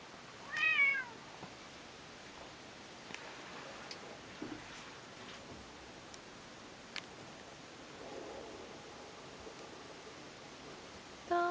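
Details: Toramaru, an orange-and-white domestic cat, gives one short, high, slightly falling meow near the start; long quiet stretches with faint clicks and soft knocks follow, and a brief clipped call sounds at the very end.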